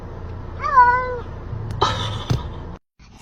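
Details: Kitten giving a single drawn-out meow that rises slightly then falls, lasting about half a second, followed by brief rustling and knocking sounds.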